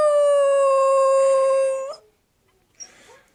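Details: Husky puppy holding one steady, level tonal howl for about two seconds, ending with a slight upward lift, then quiet with a faint soft sound afterward.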